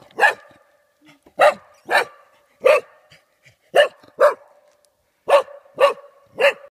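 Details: A frightened golden Cocker Spaniel in Dalby Forest, Yorkshire, barks at a cardboard cutout in short, sharp bursts, some single and some in quick pairs, about once a second with brief quiet gaps.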